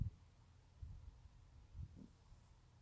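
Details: Teacup Yorkshire Terrier asleep and snoring: low, soft snorts arriving roughly once a second, short and rumbling, with near silence between breaths.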